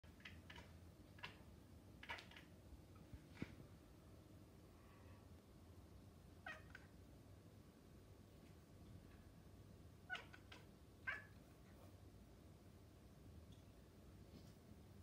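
A Maine Coon cat gives short, soft chirps and chattering calls aimed at birds.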